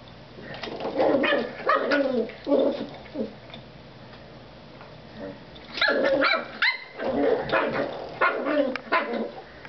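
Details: Jack Russell Terrier puppy Claira, playing with a door stop, lets out rough barks and growls in two bursts separated by a quiet stretch of several seconds; the second bout is sharper and more clipped.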